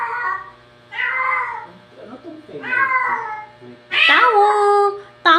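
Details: Pet cats talking indoors: several drawn-out, wavering meows, the last one higher and rising then falling, with a short murmur between calls.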